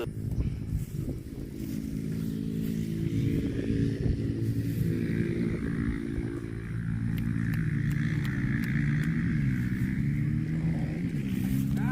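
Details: Steady droning motor engine running outdoors, its low humming tones wavering in pitch toward the end, with scattered clicks and no animal calls.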